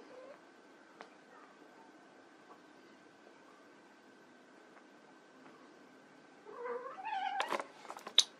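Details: White Persian kittens at play; a quiet stretch with faint rustles, then a burst of short rising, harmonic-rich meows and squeaks bunched near the end.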